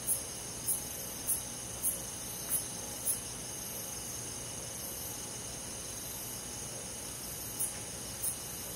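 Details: Night forest in summer, where a cricket gives six evenly spaced, high chirps, falls silent for several seconds, then resumes with two more, while a constant high insect drone fills the background.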